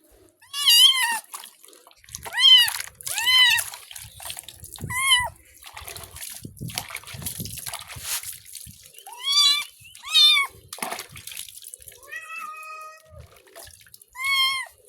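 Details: Pet cat Simbu meowing repeatedly while being given a bath, short wavering cries in clusters of two or three with pauses, amid splashing water and a person speaking softly.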